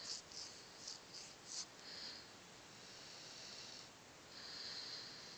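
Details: Asleep on his sofa, Jesse the Cocker Spaniel mix gives five quick snorting puffs in the first two seconds, then long, breathy, hissing snores follow in a quiet indoor room.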